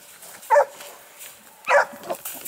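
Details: Two loud, separate barks roughly a second apart from Dogue de Bordeaux dogs at an Italian amateur kennel, with quiet pauses between them and faint background noise.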